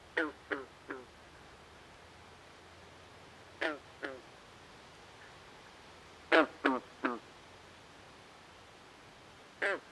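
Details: At night in a swamp, frogs give quick quacking croaks in bursts of two or three, five groups in all, against a faint continuous hum and hiss.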